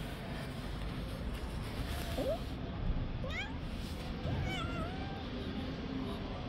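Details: Two stray street cats, a little one slapping and beating an older one, give a few short, thin rising meows spaced about a second apart over steady low background rumble.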